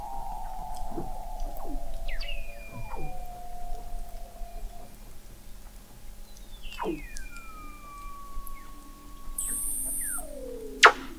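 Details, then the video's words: Under thick sea ice in McMurdo Sound, Antarctica, Weddell seals captured in November 2017 at an observatory 21 m down: repeated steep downward whistles flattening into long sustained tones, overlapping callers, and a brief loud click near the end. "Song of the Antarctic Weddell Seal"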